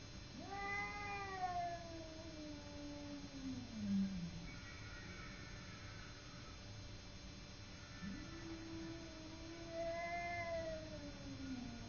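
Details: Fight between Simba, a pet cat, and a neighbouring cat, heard as two prolonged threatening wails, one early and one late, each bending up then sliding down into a low moan, with softer cries between.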